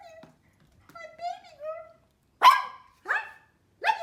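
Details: A small Pomeranian dog named Mimi, indoors and reacting to loud noises such as thunder or firecrackers. Soft, wavering, whiny tones come first, then three sharp, loud, broadband barks about half a second to a second apart near the end.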